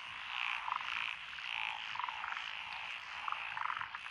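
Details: Frog chorus from lotus rice paddies beside a country road in Echizen City, Fukui, Japan, 12 June 2021, with Japanese tree frogs, black-spotted pond frogs, wrinkled frogs, Schlegel's green tree frogs and forest green tree frogs: dense overlapping croaks with bursts of rapid pulsed notes.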